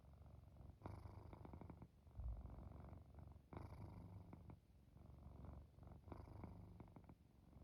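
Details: Purring pet cat settling into sleep with light snoring; throaty low rumble in alternating soft and louder stretches, the louder breaths arriving near one, three and a half, and six seconds.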